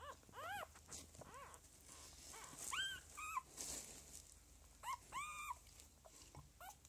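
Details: Lagotto Romagnolo puppies from the second litter "N" of a home breeder, 06.01.2015, give repeated short arching whimpers and squeals, some doubled, spread across the recording with low hum and faint rustling between.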